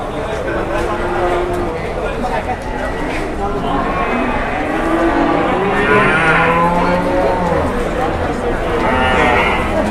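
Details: Cattle moos layered among talk as a jumbo cow is taken around for sale and haggled over; low, sustained calls overlap one another, with a few brighter bursts later and people speaking nearby.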